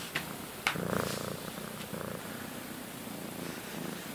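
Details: Pet cat purring indoors, one of two sister cats, one friendly and one shy, kept together in a front bedroom for a week; a steady, low, pulsing rumble with a few sharp clicks and light rustling.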